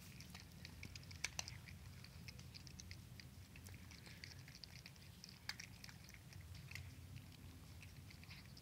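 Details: Kittens eating dry kibble indoors at night, their chewing a rapid patter of sharp crunchy clicks with a few louder snaps, over a constant low household hum.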